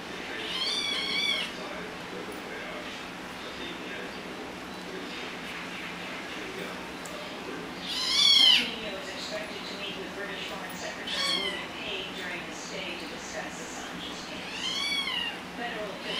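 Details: Domestic cat, one of two pet cats, giving clear high meows that rise and fall in an arch, at intervals of several seconds, with the loudest near the middle, over a steady background hiss.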